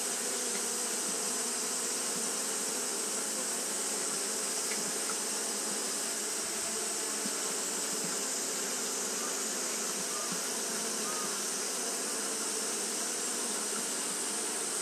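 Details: Japanese honey bees fanning throughout a hot day produce a constant, thick buzz, a low humming drone beneath a wide hissing layer, steady in loudness from start to finish.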